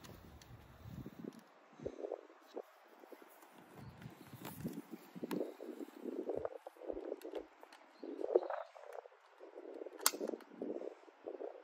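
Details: Sacchan, a male rescued cat born around spring 2019, on a harness walk by temple stone steps in Higashiōmi, Shiga, in early spring 2024, complaining when picked up: a series of short mid-pitched meows over a quiet outdoor background.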